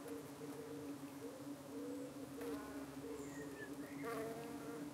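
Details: Steady droning hum of many honey bees at a hive in the UK, evening, the bees fending off flies that try to cling to their abdomens; the low buzz holds throughout, with faint higher whining tones sliding over it.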